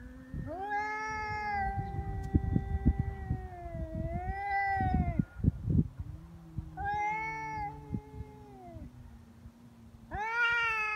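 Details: Feral cats fighting on February 22, Cat Day, threatening each other without backing down before biting and swatting; long, drawn-out wavering yowls rise and fall in overlapping voices over a low steady growl, with scuffling clicks in the middle.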